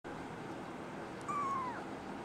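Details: Female brown tabby and white kitten named NANA, born 24 December 2010 and growing up while awaiting a new family, gives one short, clear meow that slides slightly downward, over a steady quiet background hiss.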